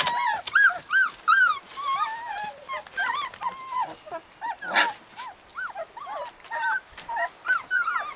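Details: Several husky puppies in Lapland give short arched whines and yelps, roughly two or three per second, some rising and falling, with brief gaps between bursts.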